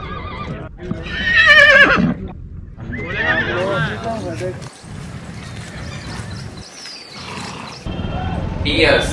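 A horse gives a loud, shaky whinny that rises and then falls, with further nickering and a rougher neigh near the end; speech is heard throughout.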